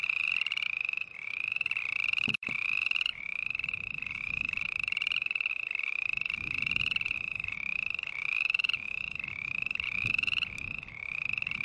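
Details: Continuous chorus of green tree frogs giving rapid pulsed, raspy trills that overlap into a steady buzzing stream, with a short sharp click near the start and soft low rumbling beneath.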